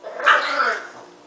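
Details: Pet dog Marshall gives a single drawn-out, wavering, nasal whine of about half a second that fades away, with a woman talking to the dog around it.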